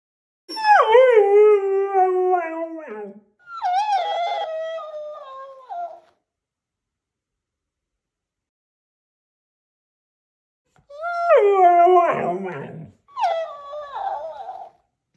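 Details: Huskies howl while reacting to a mimicking cactus toy: two long harmonic howls sliding downward in pitch, a pause of several seconds, then two more rising-and-falling howls, one with rougher, noisier texture.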